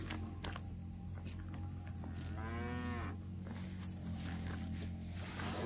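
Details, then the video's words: Cow roaming a grassy park while eating fresh grass; one drawn-out, mid-pitched moo in the middle, rich in harmonics, over a steady low hum and background noise. "Suara Sapi Lembu Makan Rumput"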